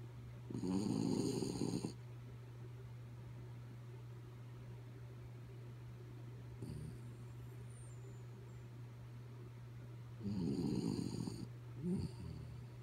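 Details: Snoring from the sleeping dog Kaya Boo: a loud grating snore early on, a quiet stretch of breathing, then another strong snore followed by a short snort, all over a low constant hum.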